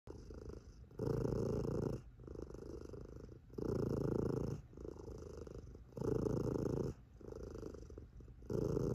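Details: Sleepy, chubby tabby cat purring with a deep, booming rumble. Loud buzzy phases about a second long alternate with softer, quieter stretches, cycling roughly every one and a half seconds.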